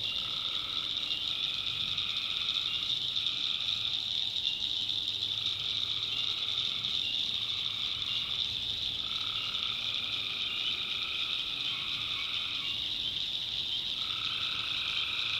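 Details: Swamp at night in backwoods North Carolina, tree frogs massed in a continuous piercing chorus; lower pulsed trills come in repeated bouts lasting one to two seconds, some overlapping, roughly every two to three seconds.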